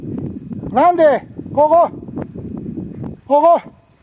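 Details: Welsh Terriers Grandy and Ikaros hunting deer in Izu, Japan, October 2012, after flushing and tracking a big deer. Three loud, drawn-out yelping barks rise and then fall, separated by pauses with rustling steps through leaves.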